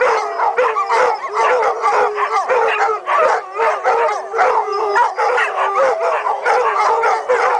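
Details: A dog pack howls in a busy overlapping chorus of wavering howls, quick yips and barks, with one steady low howl running underneath throughout.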